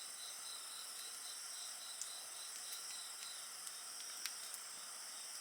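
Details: Steady insect trilling by a campfire, a fast pulsed chirping band mid-high with a constant shrill hiss above, interrupted by several sharp crackles and snaps from the fire.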